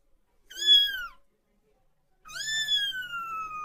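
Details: Kitten calling for its mother: two clear, drawn-out meows, the first short and slightly falling, the second longer and sliding slowly downward, separated by a second of silence.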